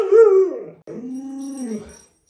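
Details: Alaskan Malamute, one of a group of pet dogs crowding around their owner to get under the covers in bed. It gives a short, rising-falling moan, a pause, then a longer, lower drawn-out whine that sinks at the end. No other sounds.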